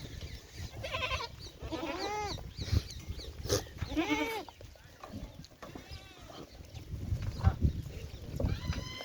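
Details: Goats at a farm in Rajasthan, India, bleat repeatedly in wavering, nasal, harmonic cries, about five calls spaced one to two seconds apart. Low rumbling background noise and faint voices can be heard between calls.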